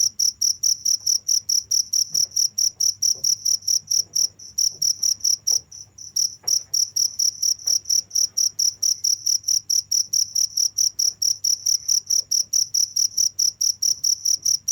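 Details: Cricket chirping on and on in high, ringing pulses about twice per second, interrupted by short gaps around four and six seconds, over a soft low hum.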